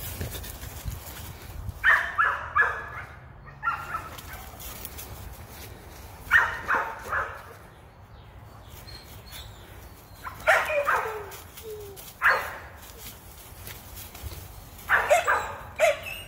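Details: A female American Pit Bull Terrier on a rabbit hunt, worked up by a rabbit: short hoarse barks and yips in clusters every few seconds, with rustling outdoor background.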